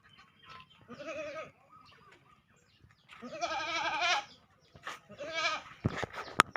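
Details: Goat in Gampong Matang Seutui village, Langsa Timur, Langsa, Aceh, giving wavering, quavering bleats, one short then two longer ones, followed by clicks and knocks at the end.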